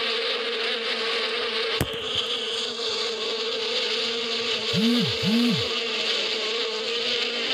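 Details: Bees buzzing in spring in the desert countryside: a steady, dense hum holding one low tone with bright overtones, broken by a sharp click early on and two short arching tones near the middle.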